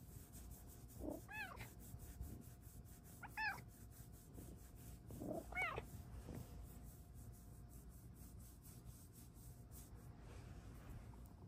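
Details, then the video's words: Pet female cat Luxe meows three times at roughly two-second intervals, short rising-falling tones with a bright tonal quality, over a steady indoor hum and faint ticking noise. "kitty has the BEST meows in town!"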